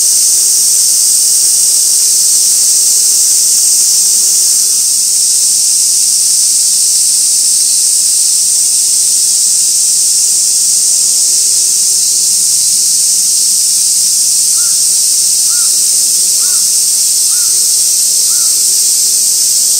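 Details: Cicadas at Gaikotsu-yama, Japan, 2 August 2024, by an old sawtooth oak tree, fixed camera: dense, steady, high hissing buzz without break, with a few faint short repeated notes late on.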